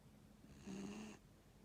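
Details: A single short raspy snore, about half a second long, from an old dog aged 15, rising out of a soft low hum.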